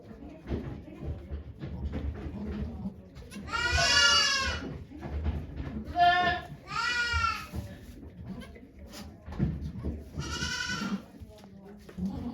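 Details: Yoshigake goat farm, Japan, 3 May 2023, as Okayu gives birth to two kids before watching volunteers: three strong tremulous bleats spaced a few seconds apart over soft background chatter and rustling.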